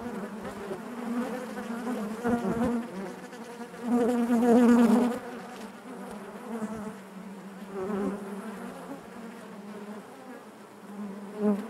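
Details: Dense colony hum of honey bees within the hive, a low steady drone that grows markedly louder in the middle as bees crowd near, then eases to a softer even buzz with small swells.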